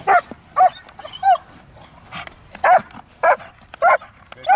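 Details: Jet black German Shepherd named Milo during protection obedience training, giving loud sharp barks in a steady series of about seven, roughly one every half second, with little else audible.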